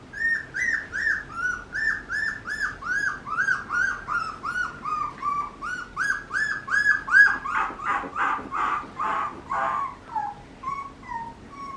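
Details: Papillon puppy giving a steady run of short, high, whistled yelps, each arched in pitch, about two and a half per second, turning breathier and noisier toward the end.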